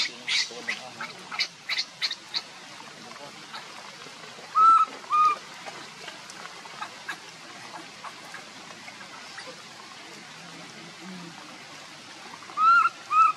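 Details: Baby monkey Leo crying to its mother, begging for milk while hungry: brief, high, clear arching whistled squeals, a pair near the middle and another at the end, over soft rustling and faint clicks.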